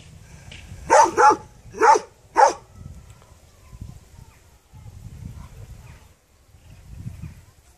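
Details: A dog gives four loud, sharp barks in quick succession, two pairs close together, followed by quieter low background rumble.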